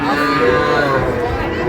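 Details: Steady, level moo from a calf among small bulls and heifer calves at a cattle market in Pabna, Bangladesh, on 12 May 2025, with men's voices and general market bustle behind.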